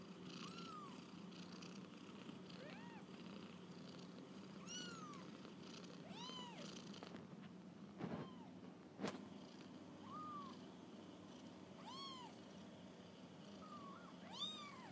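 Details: Kittens on a first walk about, calling in soft, evenly spaced arched mews every one to two seconds, with a couple of brief knocks midway and a steady low hum throughout.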